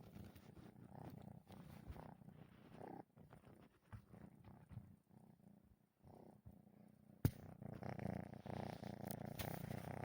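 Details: Kitten asleep, snoring and moving its paws; a steady low rumbling rasp of breaths, quieter stretches with pauses, then louder rustling and a sharp knock near the end.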